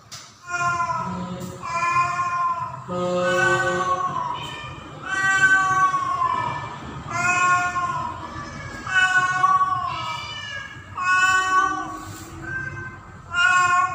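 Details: Domestic cat Pretty, a female in heat during the mating season, calls for a tomcat with a steady string of long, wavering, harmonic-rich meows, about seven loud yowls each lasting a second or more, separated by brief pauses.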